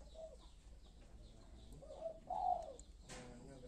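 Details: Newborn kittens, just days old, let out a faint short cry and then a louder, slightly rising mew with a wobbly tone, over a quiet background hum.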